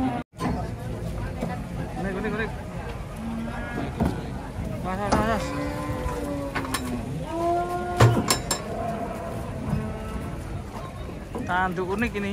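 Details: Cattle unloading from a truck low in several drawn-out, slightly bending moos spread through the clip, mixed with people talking, background music and metallic knocks.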